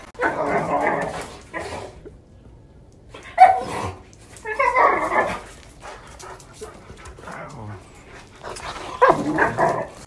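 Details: A 1-year-old Doberman and a 6-month-old German Shorthaired Pointer trade rough, gruff play barks and growly bursts in short bouts while playing together, filmed October 15, 2018.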